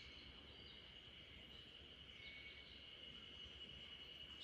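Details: Spring cicadas in a backyard in Japan, a chorus lulling the sleeping Great Pyrenees RunRun: a steady, unbroken high shrill drone holding for the whole stretch, with faint low background rumble.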